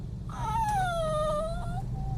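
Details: Crying dog left behind when its owner goes out: a long, nasal tonal whine lasting nearly two seconds, dipping in pitch then rising slightly at the end, indoors against a steady low hum.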